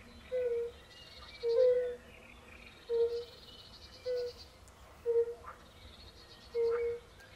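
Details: European fire-bellied toads (Bombina bombina) calling in a chorus by a forest pond in Poland, with pool frogs also present: six soft, hollow, low 'oop' notes about a second apart, some doubled, over faint high bird twittering.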